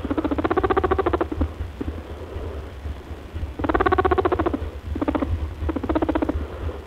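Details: Rabbit (Oryctolagus cuniculus) makes rapid, buzzy, pulsed grunts in bursts, the honking, oinking or purring sounds of a happy, contented, excited or playful rabbit.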